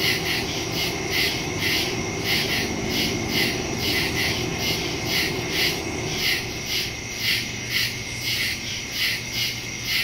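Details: Woodland crickets calling at night, September 2, 2023, phone recording through a stereo microphone: many overlapping high chirps pulsing in quick, slightly uneven rhythm over a constant high-pitched buzz and soft low hum.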